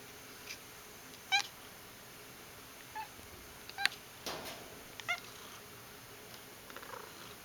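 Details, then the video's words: Pet cat making silly noises indoors: three short, bright chirping calls with stacked overtones, spaced a couple of seconds apart, amid light clicks and faint room noise. "the Cat Making Silly Noises"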